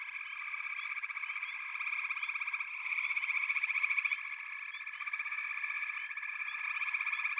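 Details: Many frogs trilling at once in a steady, high-pitched pulsing drone, with faint short chirps on top and a gradual swell in volume around the middle.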